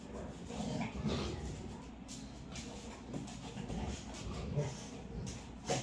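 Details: Two dogs, a Labrador and an American Bully, playing together: short low growls and huffs rise and fall through the clip, ending on a sudden louder burst.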